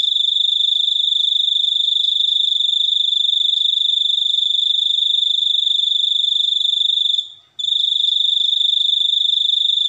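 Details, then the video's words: Cricket giving a steady, high, shrill ringing trill that runs unbroken for about seven seconds, fades out briefly, then resumes at full strength; no other sounds. "suara jangkrik super unik"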